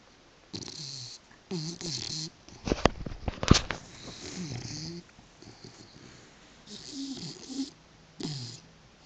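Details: Female British Bulldog sleeping soundly on a couch, tongue flapping; uneven snorts and rasping snores with short gaps, plus a few sharp clicking sounds in the middle.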